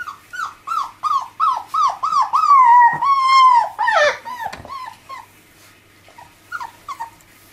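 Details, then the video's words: Miniature labradoodle puppies, five weeks old, playing with their mother: a quick series of high whimpering whines, each sliding downward, then a longer, louder drawn-out whine and a few scattered short yips as the play settles. "Labradoodle Puppies Lets play with Mum 5 weeks"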